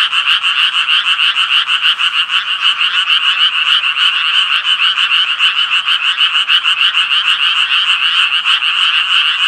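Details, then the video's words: Croaking chorus of Japanese tree frogs: quick, regular rasping notes, roughly three per second, stacked into a loud, steady buzzing drone that never pauses. "청개구리 울음소리"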